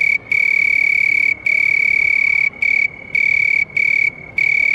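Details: A house cricket trills: a pure, piercing, high tone held for about a second at a time, separated by short silent breaks, against a faint hiss.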